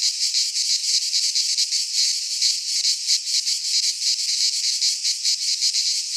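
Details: Many cicadas sing together in a Greek pine forest at midsummer, producing a high, rasping, continuous drone that throbs in fast regular waves for the whole stretch.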